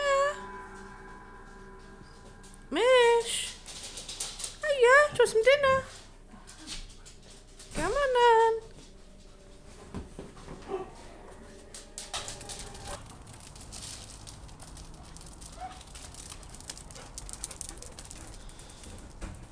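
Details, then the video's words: Siberian huskies Mishka, Narla and Shiloh playing and singing indoors: three separate wavering howls, each rising then dropping in pitch, spaced a few seconds apart, followed by quieter shuffling and background noise. "Siberian huskies playing and singing!"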